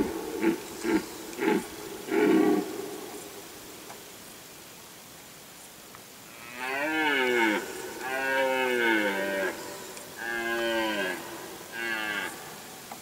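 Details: A red deer stag roars during the rut in forest at Galgamácsa, Hungary, in 2011, on one of the peak rut days in the afternoon-evening, giving long, drawn-out bellows that bend downward in pitch.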